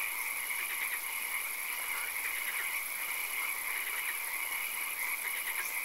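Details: Several frogs croak in a nighttime swamp with occasional rain, giving bursts of fast pulsed calls that overlap and repeat, under a steady piercing high tone and gentle hiss.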